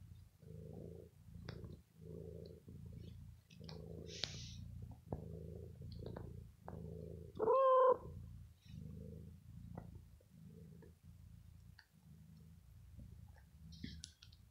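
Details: Indoor cat Bella purring over her owner and biting clothes in the evening after pampering; continuous low purr pulsing with each breath, a brief tonal meow near the middle, scattered clicks and rustles.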